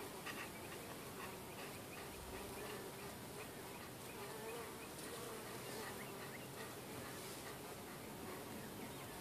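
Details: Bees going in and out of their hive while getting a beetle to leave; a long unbroken buzzing hum of many insects, even in loudness, with a faint rising whine in the middle.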